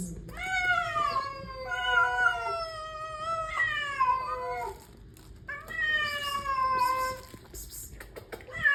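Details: Hungry street cats at feeding time meow loudly and repeatedly, several long descending wails overlapping one another, a short pause near the middle before another drawn-out falling meow.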